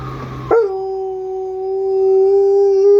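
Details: Alaskan Malamute howling: after a short noisy start, one long steady tonal howl holds level for about two and a half seconds, rising slightly at the end, with clear overtones.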